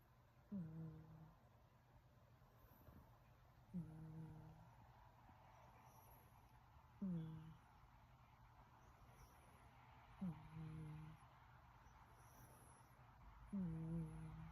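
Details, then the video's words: Sleeping kitten named Hector snores, five brief low purring snorts spaced about three seconds apart, each starting with a quick upward slur, against soft steady background hum. "Hector is snoring"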